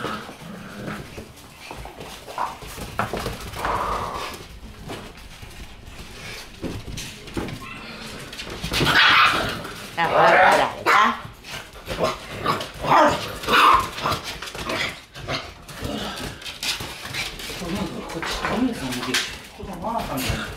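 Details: Shiba Inu puppies in a small indoor puppy room crowd around as a newcomer is introduced, giving a busy jumble of whining, whimpering and short yips amid rustling and movement noise, loudest in the middle.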